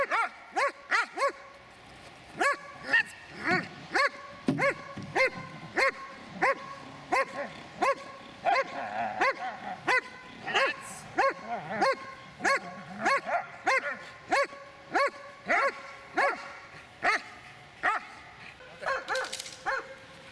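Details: Dobermann, eight years six months old, barking steadily and loudly, about one and a half barks per second, each bark short and punchy, continuing throughout with little pause.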